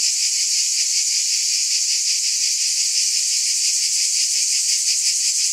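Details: Cicadas buzzing: a dense, steady, high-pitched hiss that pulses about three times a second, with no other sounds.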